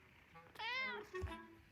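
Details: Maine Coon cat named Alice acting as an alarm clock, calling to wake her owner in the morning indoors on day 522; one drawn-out, tonal meow rising then falling, with a woman speaking softly around it.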